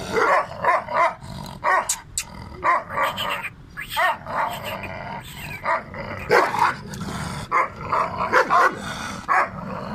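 A Bully Gull Terr dog gives deep, rough barks and growls in uneven bursts.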